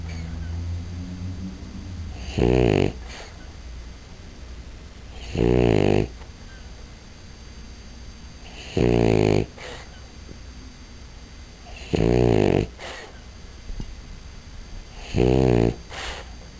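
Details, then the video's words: Sleeping female French Bulldog, said to snore a lot, gives five harsh rattling snores at a steady pace of roughly one every three seconds, each a short buzzy burst separated by soft breathing. "Bulldogue Francês Roncando"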